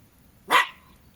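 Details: Jack Russell Terrier, one of two pet dogs named Treisy and Azzuro, on a hot day, gives a single sharp, loud bark with a quick falling tail, against a quiet background.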